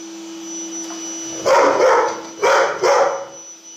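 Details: Labrador dog reacting excitedly to a running vacuum cleaner, giving three loud harsh barks in quick succession over the steady whine of the machine.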